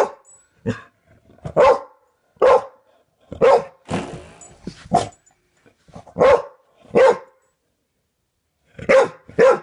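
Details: Indoor dog barking at a doorstop being flicked again and again by a man; sharp single barks about every second, in a steady irregular series, with a soft rattling burst in the middle.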